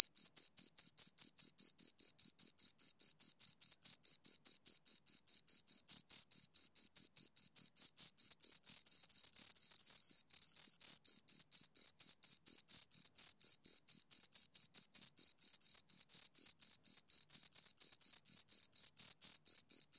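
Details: Two crickets chirping in a long, steady stream of rapid high-pitched pulses, each one short and bright, with no other sounds and a silent background throughout.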